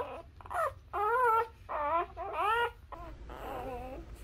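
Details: Labrador puppies, newborn and nursing, make softer, wavering squeaks and whines in rapid short bursts, fading into a quieter, wobbling cry at the end.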